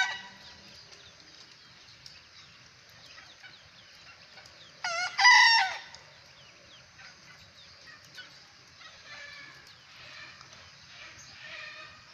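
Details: One short, ringing crow from a young bekisar rooster, a prospective champion, rises sharply midway. Faint pulsed chatter follows, all over a steady high buzzing backdrop.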